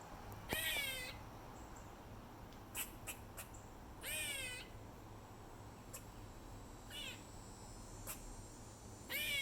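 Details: An eastern gray squirrel at the top of stairs at Treetops, Hilton Head Island, South Carolina, repeats a harsh, nasal, wavering meow-like call about every four seconds, with short sharp chucks between, over a soft hum.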